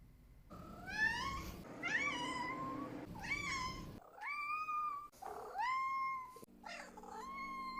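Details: House cat giving six meows in a row: three quick rising-then-falling cries, then three longer drawn-out calls that swoop up and hold level, a low background hum throughout.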